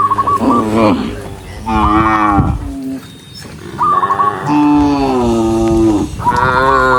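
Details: A herd of tame cows walking along a forest road on a farm. Overlapping deep, lowing moos follow one another closely, some swelling and then dropping in pitch, with a brief lull midway.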